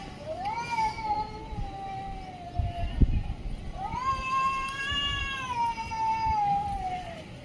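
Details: Cat meowing twice, long wavering calls that rise, hold and fall over a couple of seconds each, with a soft knock between them and constant low background noise.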